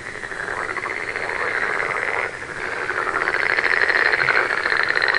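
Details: Frogs calling together in a dense chorus, overlapping rapid pulsed trills that run on steadily, with a brief dip before a fuller, higher layer of trilling joins in.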